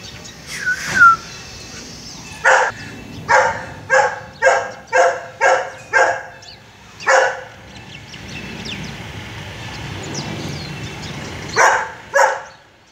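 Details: Golden Retriever. A Golden Retriever barks in a quick series of harsh, loud barks less than a second apart, then adds two more after long gaps. A short whistled or vocal sweep is heard near the start.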